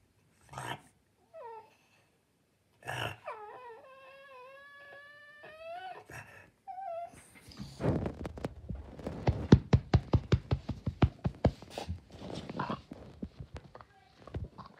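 A French Bulldog whines in high, wavering, nasal tones, asking to get up onto a chair.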